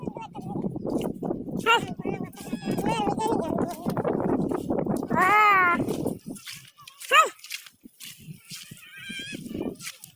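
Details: A herded goat lets out a clear, drawn-out quavering bleat midway, followed by a shorter sharp one, while people talk continuously around it.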